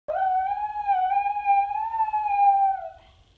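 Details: Pet dog howling in response to sirens, the dog apparently taking the sirens for other dogs howling; a single sustained, smooth mid-pitched howl with gentle wavering and rich overtones, lasting about three seconds before fading out.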